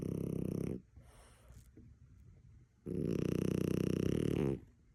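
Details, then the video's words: Sleeping French Bulldog Maui snoring: a rough, rattling snore breath, a quiet gap of about two seconds, then a second long vibrating snore. "Sneaking up on Maui snoring"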